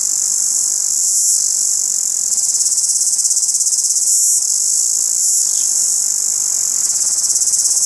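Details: Loud morning daytime chirping of a single cicada, recorded on a Sony HDR-CX190 camcorder: a continuous shrill, sizzling buzz held at a steady high pitch, rapidly pulsed, rising and falling slightly in strength, with nothing else audible.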